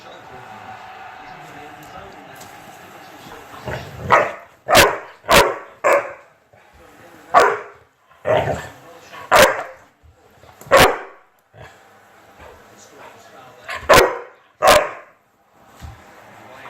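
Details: Chocolate Labrador Retriever playing with a fidget spinner indoors: a series of short, sharp barks in bursts, some paired, with pauses between and faint background voices.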